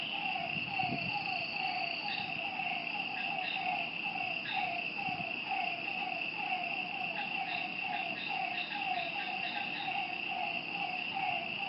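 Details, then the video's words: Frogs calling at night by a lake: a steady run of short mid-pitched notes, roughly two to three per second, over a constant high insect trill, with a faint low thump near the start. "Lakeside night creatures and frog sounds"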